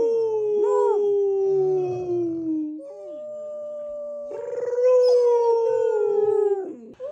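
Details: A 14-week-old female Rottweiler puppy gives sustained, wavering howls, among her first tiny howls. Her doggy brother joins in with a deeper howl.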